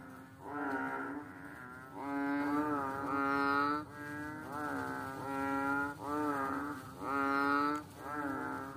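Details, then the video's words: A small, fat water frog on a slippery rock calls in drawn-out, buzzy, reedy croaks lasting about a second each. A quiet start gives way to a steady series of six calls. "The sound of a funny fat frog on a slippery rock"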